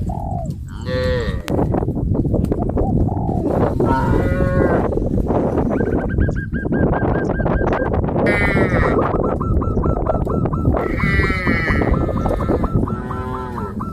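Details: Herd of cows on a traditional village farm heading towards green grass fields, lowing with arching harmonic moos over constant shuffling, lowland rumble; a steady high whistle-like tone runs through the second half.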